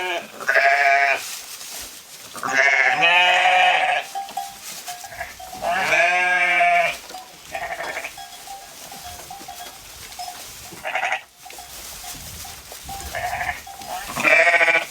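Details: Sheep grazing in a field, several wavering, harmonic-rich bleats, some long and quavering, spaced a few seconds apart, with a steady faint tone and soft background noise between calls.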